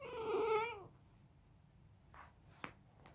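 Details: Bulldog puppy chewing on his toy gives a whimper likened to Chewbacca: one wavering, harmonic whine under a second long, then quiet rustling and a sharp click.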